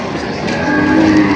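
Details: Cattle at a livestock market in Padre Garcia, Batangas, on July 17, 2026, where breeding cows and heifers are sold: one short, steady, low moo rises out of dense crowd chatter and haggling voices.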